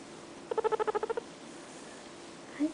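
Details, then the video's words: Guinea pig, lighter coloured, kept indoors as a pet, giving a quick run of about ten short even chirps near half a second apart-spaced, squeaky notes over a quiet room, followed by a woman's soft voice. "making cute noises [Guinea Pig]"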